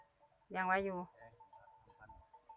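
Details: Water buffalo coming into the pen in the evening, 6 June 2020: a single half-second wavering, harmonic call with a steady tone, then a low mechanical hum and quiet background.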